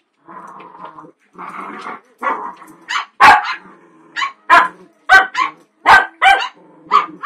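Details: Small Cavalier King Charles Spaniel play fighting indoors with two bigger dogs. Low, rumbling growls build into a run of sharp, high barks, several coming in quick succession near the end.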